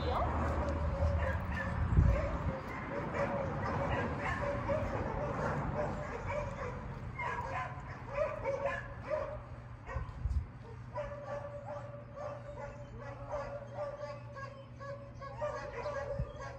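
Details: Dakota, a female Great Dane, works outdoors during training, corrected with an e-collar when she leaves a command; short, quick barks and yips come in uneven runs over people talking and a steady low hum.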